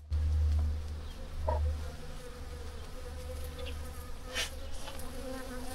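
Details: Many bees around a rural outbuilding or barn fly close together, making a steady, low droning buzz.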